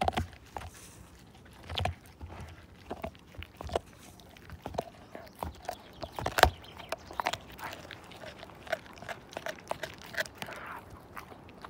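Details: Husky Slim, a household pet, tears a bone apart. Steady gnawing, with crisp cracks and crunches of teeth on bone coming in uneven clusters, and a few louder bites standing out.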